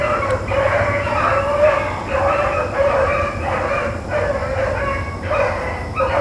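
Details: Rabbit-running hounds, Blackcreek and Bluetick dogs, April 4, 2013, giving drawn-out, ringing bays in a loose rhythm of about one and a half per second, several dogs overlapping above a low hum.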